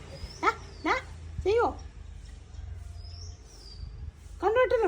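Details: Labrador Retriever named Mac, lying down after being scolded for mischief, gives short arched whining cries, three within the first two seconds and another near the end, over a low background hum.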